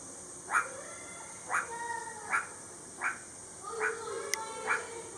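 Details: Meerkat recorded on 17 July 2022: six short, bright, harmonic chirping calls repeated about once a second, with faint lower tonal sounds between them over a steady high hiss.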